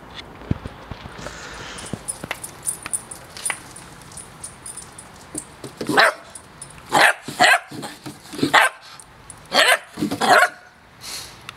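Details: German Shorthaired Pointer barking: a series of short, sharp barks in quick bursts during the second half, following quieter rustling and clicks, with some background noise.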